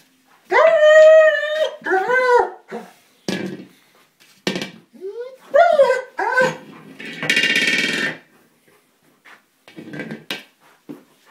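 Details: German Shepherd, frustrated at failing to puncture a small buoy he is attacking, gives repeated high, tonal whines and yelps. Some are long and wavering, others short and upswept. They come in bursts over eleven seconds, with a harsh noisy burst near the end.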